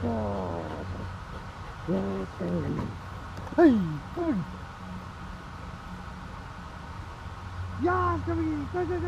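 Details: Field-line Labrador Retriever puppy, aged one year three months, during frisbee practice: short bursts of high, harmonic whining that slide steeply downward, clustered near two, four and eight seconds, over a low steady hum.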